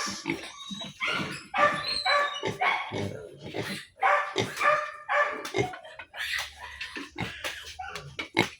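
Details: Pigs one month after weaning: a sow and her piglets. Rapid, dense bursts of harsh squeals and grunts, about two a second, tumble over each other at uneven intervals, with a steady background hum.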